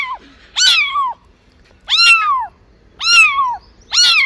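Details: Domestic cat meowing to attract other cats and kittens: four loud, clear meows roughly a second apart, each rising briefly then sliding down in a drawn-out arc with rich harmonics, against an otherwise quiet background.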